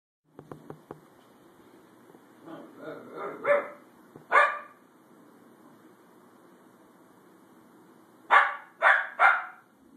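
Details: Pet female dog barking at the corner of a couch during one of her near-daily barking fits, the end of her third bout; a few soft ticks, then low grumbles building into a loud bark, a pause, and three quick barks.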